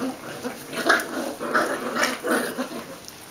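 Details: Four short, rough growling bursts roughly every half second from 37-day-old Welsh Springer Spaniel puppies of litter "Q", three males and three females, at play with adult dogs Paloma and Týna at kennel Ivančice.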